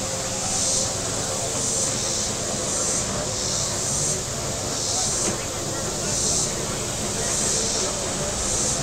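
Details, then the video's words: Shoreline cicadas at Table Rock Lake, southern Missouri, on a hot Saturday, their shrill droning chorus pulsing in waves about once a second, with people talking and motorboats humming across the lake. "Boating Lake Sounds and Cicadas"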